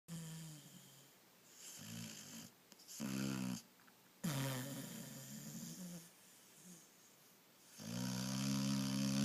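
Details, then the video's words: Sleeping moose snoring: low, buzzy snores in separate bursts with a steady droning tone, quiet pauses between breaths and a long, louder snore at the end. "Moose snoring"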